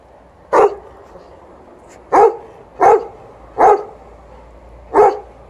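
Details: Alaskan Malamute Liza, a pet, playing by herself while an elderly Golden Retriever plays fetch nearby; five loud, sharp barks at uneven intervals, the last three about a second apart, with quiet background between.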